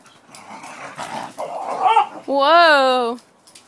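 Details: Australian Cattle Dog playing with a Shepherd/Husky companion indoors, giving a rising drawn-out howling vocalization near the end after mixed growly mutters and speech-like noises.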